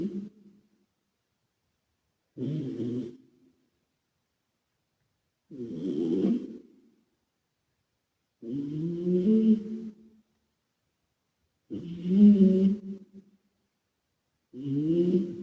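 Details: Calmo, a male British Shorthair and former rescue cat, snores while asleep indoors, with an echo effect added. Low, rumbling snores come about every three seconds, each a rough, throaty rasp separated by silence.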